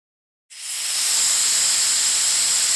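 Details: Patagonian lancehead, a viper of Argentina, giving a loud, steady, breathy hiss. It starts abruptly after half a second of silence and holds as an even rush of sound.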